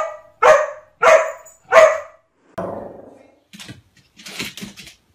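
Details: Domestic dog reacting to a mirror, giving three quick loud barks about half a second apart, then a longer lower bark trailing off, followed by soft scuffling and clattering noises indoors.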